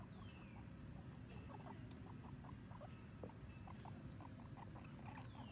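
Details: Two guinea pigs, Sheik and Penny, on their first time outside, exploring and eating grass; short rapid squeaky pulses repeat several times a second across the whole stretch over a steady low rumble of wind.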